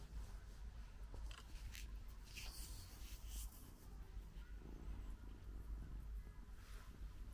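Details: Purring British Shorthair female Luna, NY12 colour, just arrived home after a long trip and dozing after a meal: deep continuous rumble with a few soft clicks and rustles from the small room around her.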